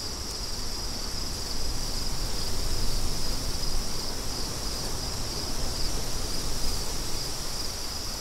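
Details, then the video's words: Crickets in a continuous high, steady trilling band with faint regular pulses, set against a loud, rushing wind that fills the low range throughout. "Crickets & Wind"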